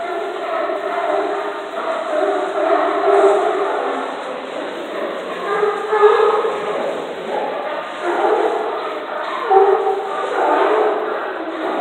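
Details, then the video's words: Many sea lions beneath docks at Astoria keep up a crowded, raucous chorus of hoarse barks and groaning honks that overlap constantly, swelling in loudness around the middle and toward the end. "Singing sea lions under docks of Astoria"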